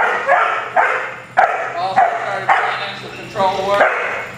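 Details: Sable male German Shepherd, eight months old, in protection training facing a helper: rapid, somewhat whiny barks about every half second, ending in a longer harmonic whine-bark, with a man speaking in the background.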